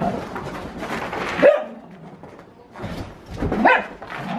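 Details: Siberian Husky doing zoomies indoors: two short, sharp barks, one near the start and another about two seconds later, with quieter scuffling between in a small room.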